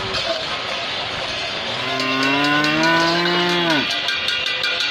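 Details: Cow giving a single long, low moo that holds steady, rises slightly, then drops away sharply after about two seconds, over constant loud background noise with a rapid regular clicking.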